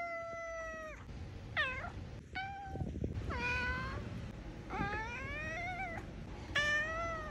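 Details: Domestic cat meowing indoors: a series of clear, tonal meows, some rising then falling and some bending up at the end, spaced about a second apart, with soft room noise underneath.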